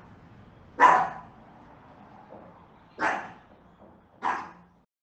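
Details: Three separate barks from a pet dog, each a full, slightly rough woof with a quick fade, the first followed after about two seconds by the second and soon by the third.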